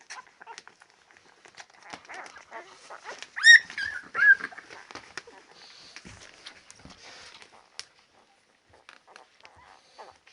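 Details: Labrador Retriever puppies at ten days old, one giving two clear high whining squeals around the middle, surrounded by quieter snuffles, squeaks and rustles, then near silence.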